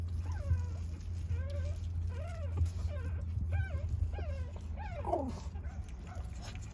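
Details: Puppies whimpering in a run of high, arched whines that rise and fall, repeated about every half second, over a constant low hum.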